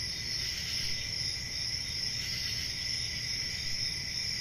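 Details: Dense cricket chorus on a calm country summer night, an unbroken high-pitched ringing trill with gentle pulses and a low steady hum in the background.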